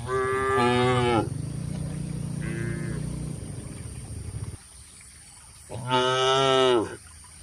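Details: Tame cattle (sapi lembu) being herded to a wide field in a peaceful countryside: several loud harmonic moos, each about a second long and falling at the end, one shorter, quieter call between, with steady low rumbling background.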